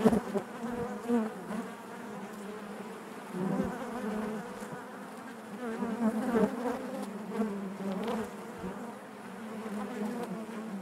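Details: Steady collective hum of honey bees within a hive, layered harmonics holding throughout, gently pulsing in volume with occasional nearer bees standing out briefly around three and six seconds.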